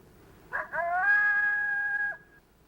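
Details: A lone coyote gives a lone howl: two quick barks, then a long, steady, flat howl held for over a second. This call means "hello, who's out there?" and draws responses from nearby coyotes.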